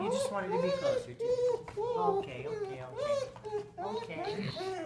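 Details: Rocket, a female Golden Retriever who recently severed some tendons, sings excitedly to an old friend indoors, as if telling him all about it: wavering, rising and falling whining moans in quick succession, with a person's voice nearby.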